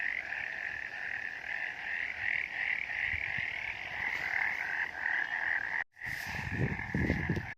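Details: Misty mountain frog chorus: steady, rapidly pulsing trills fill the clip, broken by a short gap before the end, then continuing over louder low rumbling.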